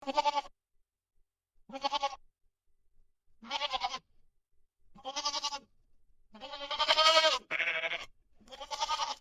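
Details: Goat bleating in short nasal, quavering cries repeated about every two seconds, the last few louder, longer and harsher, running almost together, with silence between calls.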